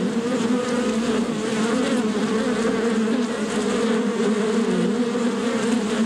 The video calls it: BEE SOUNDS